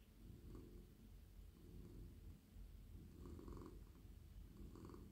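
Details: Petted male house cat purring contentedly in a lap, stroked on head, neck and body; a throaty continuous purr with gentle surges every second or so and soft rubbing noises from the hand.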